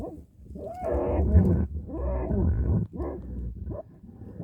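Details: Badger in a fight, giving deep rumbling growls and harsh snarls, loud and rasping with wavering tones, in rough bursts separated by brief pauses.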